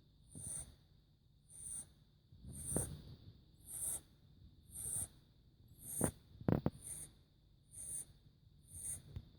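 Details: Four-month-old kitten Max snores with a regular in-and-out rasp repeated about every 1.1 seconds, breathy with a thin whistling edge; one sharp click or bump near the middle breaks the otherwise calm room.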